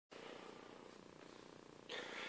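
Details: Domestic cat Nina giving herself a bath in a bathtub indoors; a steady, finely pulsing low purr-like rumble runs throughout, with a brighter hissing swish near the end.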